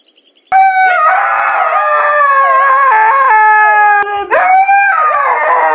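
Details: Siberian Husky howling: after a brief quiet start, a loud, drawn-out tonal howl begins and holds steady with gentle wavering pitch, dips briefly near the fourth second, then resumes with a rising, sliding note.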